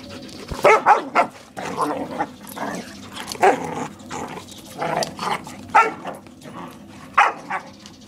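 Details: Borador barking to protect its owner from a German Shepherd while the two dog friends play; short sharp barks in irregular bursts, roughly eight across the stretch, with scuffling play noise between.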